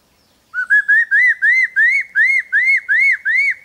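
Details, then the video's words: Capuchin monkey giving a run of ten clear whistled notes, each a short arched sweep, rising slightly in pitch through the series at about three notes per second, with no other sounds. "monkey nail sound (monkey nail song)"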